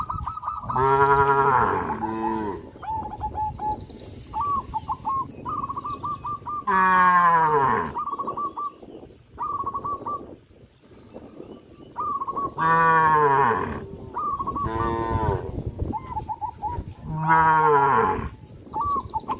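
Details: Cattle moving onto a road from a traditional village farm moo in long, throaty, arching bellows about every few seconds, with a steady pattern of repeated high musical notes underneath.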